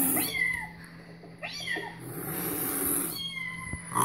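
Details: Cat Louis reacting to cat videos, with three short, bright meows in quick succession, each bending down in pitch, against a low electrical hum and some hiss.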